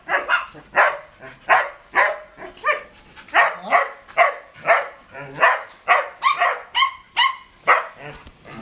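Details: Rapid, insistent barking from an eight-month-old German Shepherd in Dinajpur, Bangladesh: strong ringing barks roughly every half second, some with a whining pitch rise, and faint human speech beneath.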